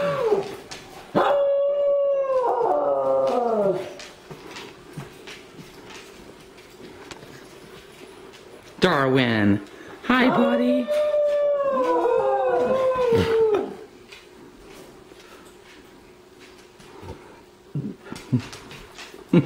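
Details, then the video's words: Darwin, a New Guinea singing dog, gives two harmonic howling bouts, each a sharp rise then a held, slowly falling tone, separated by quiet; a person speaks to him before and after. "NGSD Howl"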